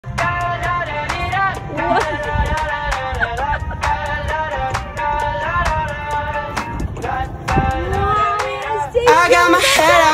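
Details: Upbeat pop-style music with singing and rhythmic percussion fills the whole stretch, and no animal calls come through.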